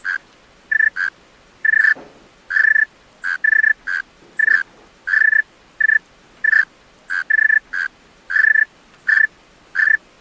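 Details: At night, a male tree cricket sings in short, pure-toned, ringing bursts repeated at uneven intervals.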